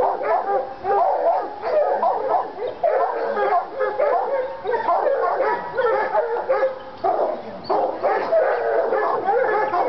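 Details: Lady and Cooper, Treeing Walker Coonhounds in North Carolina, excited by a coon skin; busy mix of barks, yips and short howls overlapping, with brief dips in loudness between bursts.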